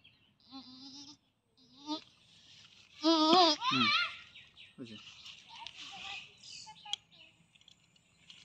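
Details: A local goat under artificial insemination gives short shaky bleats, then a loud trembling double bleat around the middle, with handlers speaking nearby.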